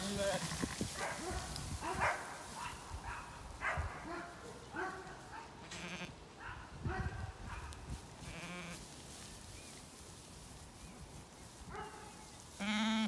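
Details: Recently weaned Zwartbles lambs on a County Kilkenny farm in Ireland, flocking around the farmer after dogs barked: a run of short, wavering harmonic bleats from several lambs, repeated every second or so, with a woman talking and laughing between them.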